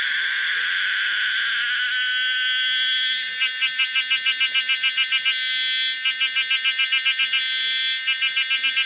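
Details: Pomponia linearis, the common cicada, gives a steady rising drone that breaks into rapid pulsed bursts, fast throbbing notes in short runs separated by brief smooth stretches.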